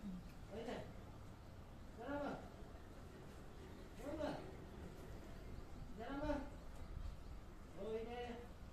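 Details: Male white lion Seramu, born 2016, at Okinawa Zoo & Museum, recorded 22 April 2022: a series of arched, moaning grunts, each rising then falling, repeated roughly every two seconds, over low background rumble.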